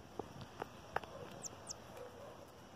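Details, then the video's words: Marmosets squabbling over a grape: two brief, very high, sharply falling chirps in quick succession, amid scattered low clicks and taps against a soft outdoor background hiss. "MACACOS SAGUIS DISPUTANDO A UVA!"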